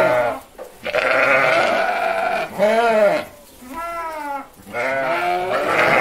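A sheep bleats several times, each a wavering, nasal baa with rich harmonics.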